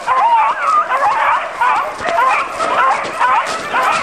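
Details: Beagles baying during a hunt: continuous overlapping wavering howls from several voices, rising and falling in a steady chorus with no pauses.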